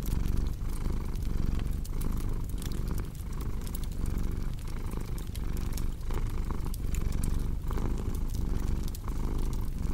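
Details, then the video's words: A domestic cat purrs continuously, a low throaty vibration pulsing roughly twice a second with each breath, while a fireplace crackles and snaps with scattered bright pops. "Purring Cat with Cozy Crackling Fireplace Sound"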